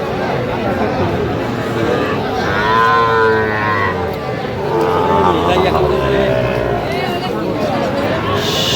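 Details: Sahiwal bull calves at a busy cattle market in Noakhali, Bangladesh, about five months old: a drawn-out moo with arching harmonics near the middle, then a second shorter lowing, beneath steady crowd chatter and bargaining voices.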